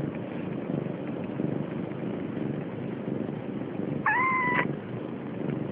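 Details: Siamese kitten almost three weeks old, stealing milk from its sister: one short, clear, level meow rises out of a steady low rustling background and ends abruptly.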